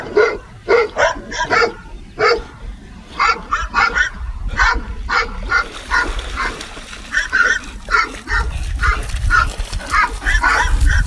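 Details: Dog barks from a compilation, evenly spaced sharp woofs, with a low rumbling background noise growing stronger in the second half.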